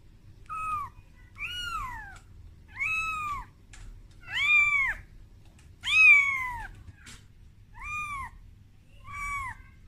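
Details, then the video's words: Kitten Momo wailing for its mother Amora, afraid on its first time out of its room; seven or eight insistent arched meows at a steady pace, some louder and higher, against near-silent background. "Suara Bayi Kucing Menangis"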